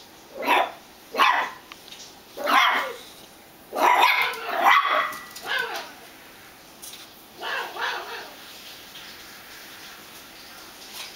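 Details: Pet dog barking at its hot dog squeaky toy: sharp, loud barks in short bursts, about eight over the stretch, clustered in pairs and triplets with brief pauses between, then quieter toward the end.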